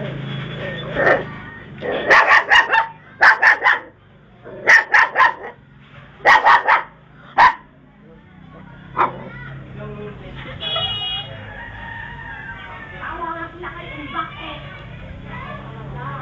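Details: Dog barking in loud clusters of two or three sharp barks, repeated about every one to two seconds over the first eight seconds, then one lone bark, with people talking and a humming background throughout.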